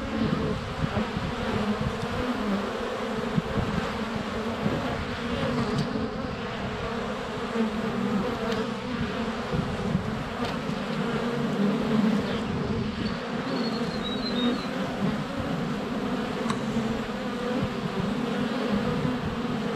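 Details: Constant buzzing of honey bees in flight before their hive entrance on a sunny February day, recorded with a GoPro Hero 7 Black; thick, even drone with a faint bird chirp in the background.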